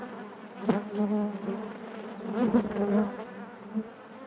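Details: Honey bees humming within the hive, an even low drone with layered overtones, one sharp knock early and a brief swell near two and a half seconds, then fading slightly.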